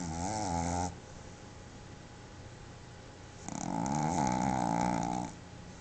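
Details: Pepe, a pet Boston Terrier, snores in its sleep, tongue out and eyes open; two rough, wavering snores, a short one opening and a longer one about two seconds later, separated by near silence indoors.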